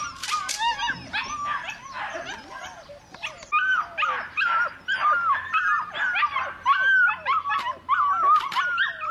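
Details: Belgian Malinois puppy giving repeated high-pitched whines and yelps, roughly every second or so, each note wavering and sliding downward, with louder bursts in the second half.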